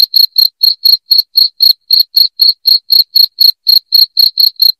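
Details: Loud cricket chirping played to help drive rats from a house: a steady train of short, bright, high chirps, about four each second, evenly spaced with clean silence between, no other sounds.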